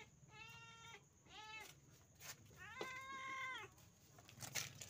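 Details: Pet village cat at dinner time, mewing three times: two short, level, harmonic meows, then a longer, slightly arching one, with a low background hum and a faint click at the end.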